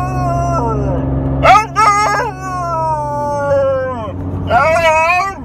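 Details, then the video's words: Funny noises from a young female Alaskan Malamute, four months old: sliding, descending whine-howls broken by quick yips, ending with a rising wavering yowl, low rumbling engine noise beneath. "Hilarious Malamute Making Funny Noises"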